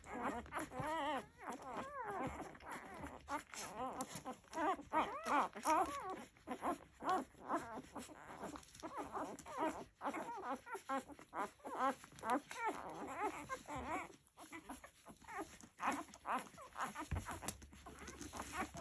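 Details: Labrador Retriever puppies nursing together: a busy stream of short whiny squeaks and wavering whimpers from several pups, overlapping almost continuously, with suckling and rustling noises underneath and a low steady hum.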